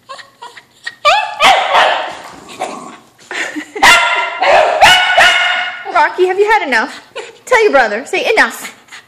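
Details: Whippet mix Kimchee desperately wanting a balloon, giving sliding, rising and falling whines and sharp yips in quick bursts. People talk and laugh over the calls.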